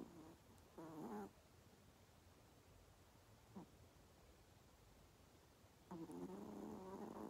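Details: Pomeranian snoring while sleeping; soft, low buzzy snores with a rasping tone, one near the start, a brief faint one midway and a longer one at the end, in a quiet room.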